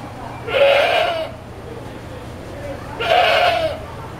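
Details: Angry goat protesting at being washed: two loud, harsh, wavering bleats, each under a second long and about two and a half seconds apart, over a constant low hum.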